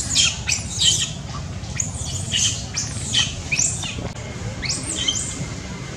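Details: Loud crying from a baby monkey seeking care from its mother: a run of harsh, high squealing screams, several per second at first, then spaced out, the last ones longer and smoother.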